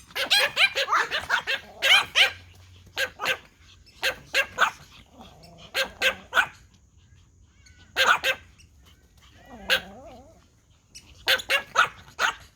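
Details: Pomeranian Toy Pom dogs bark at a whistle in scattered bursts of sharp, short yaps separated by quiet pauses. A softer wavering whine is heard once in the middle of the clip.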